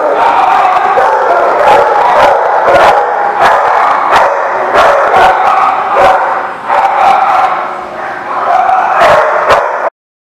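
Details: Dogs bark in sharp, irregular bursts at The Barking Lot on 21 September 2019, overlapping one another above a constant crowded murmur of yips and chatter until the sound cuts off abruptly near the end.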